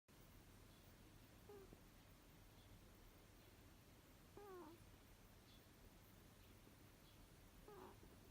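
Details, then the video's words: Runrun, a six-year-old Abyssinian cat, snoring while asleep indoors: soft, whistly, falling tones with faint overtones, one with each breath about every three seconds, over a steady low hum. "猫のいびき アビシニアン"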